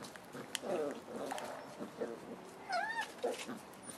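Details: Five-week-old Boerboel puppies with their mother, Cleo: short bursts of high, wavering whimpers and squeaks, ending with a clear squeal that rises then falls, over a quiet indoor background.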